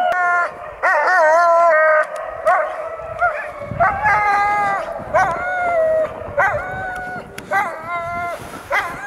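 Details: Older Alaskan Malamutes taking a break from skiing on a mild snowy day howl in short bursts. Sustained, slightly bending tones repeat roughly every second, broken by sharp yelps and brief gaps between phrases.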